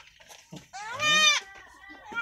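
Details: Newborn goat kid bleating on a farm: one long wavering nasal bleat with rich harmonics, preceded by short soft sounds and followed by a fainter trailing cry.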